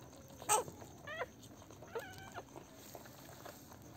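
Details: Newborn Pomeranian puppies on their first day after a home delivery; faint, thin, high squeaky whimpers, two short wavering cries about a second apart, over quiet room noise with a brief knock.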